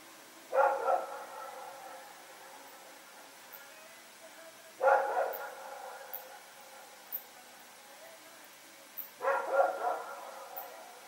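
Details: Two dogs, Rex and a companion, running around after dark in Pyrga, recorded September 21, 2018: three loud barks spaced about four seconds apart, the last one a quick double, with faint clicks between.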